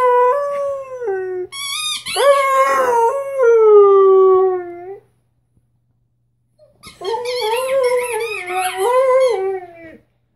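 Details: Bruno, a six-month-old Rhodesian Ridgeback puppy, howls while figuring out a squeaky toy for the first time: long, wavering, tonal howls, one rising and falling, a silent gap, then another quavering howl.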